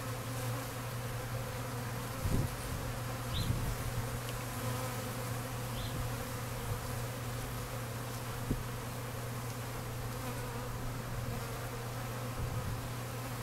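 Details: Honey bees working an open feeder and leaned honey frames, a few bees scuffling; a constant deep droning buzz with brief thumps and a couple of faint high tones.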